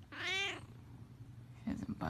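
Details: Cat snuggled in a heated blanket indoors, not budging; one clear, loud, drawn-out harmonic meow at the start, followed by quiet room tone and soft human speech at the close.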